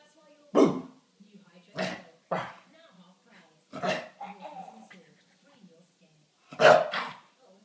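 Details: Playful barking from Simba the chow chow, normally a lazy dog, as he plays with a person pretending to be a giant cat indoors. Several loud, abrupt barks come at uneven intervals, mixed with low growly sounds and some talking.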